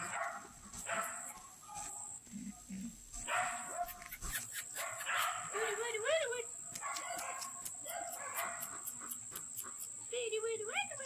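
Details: Several bi-black puppies of one litter calling indoors: high wavering whines and short rising yips scattered through the clip, with a steady high electronic tone and a person speaking briefly at the start.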